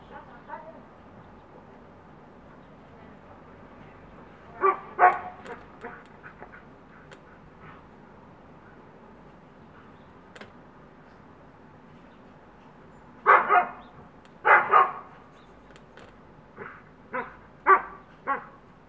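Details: Neighbour's Siberian Husky and another dog at play on either side of a backyard fence. After long quiet stretches, sharp barks arrive in clusters, one early pair and then a run of five or six in the last seconds.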